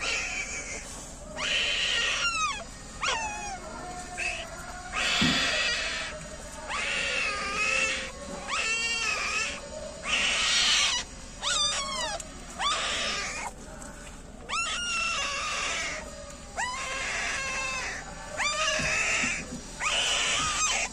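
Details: Newborn puppies of a female street dog, a litter of nine, give many high, thin squealing whines, each rising then falling, in rapid overlapping bursts with brief pauses between, across the whole stretch.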